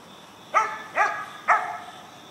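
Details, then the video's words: Young Mountain Cur called "Prime Time", bred in Alabama for squirrel hunting, barking at a treed squirrel: three evenly spaced, ringing barks roughly every half second, each with a rich harmonic stack and quick fade, against faint steady background hiss. "Mountain Cur Pup Treeing Squirrel"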